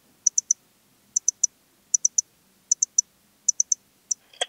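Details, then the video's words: Eastern Stripe-headed Cricket singing in Puntigam, Austria, on 10 June 2022: high, clean chirps in tight triplets, each group repeated roughly every 0.8 seconds against a quiet background, ending in a brief broadband rustle. "Modicogryllus frontalis -- Östliche Grille -- Eastern Stripe-headed Cricket"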